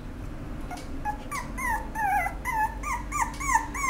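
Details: Apricot female Toy Poodle whimpering: a run of short, high, arched whines, each sliding up then down, coming several per second and growing louder toward the end over a low background hum.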